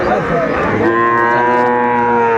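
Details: At a Bangladeshi cattle market, 2 May 2024, Sahiwal and Friesian bull calves bought for a Tangail farm; a long, even bellow begins partway through and sustains to the end, over people talking nearby.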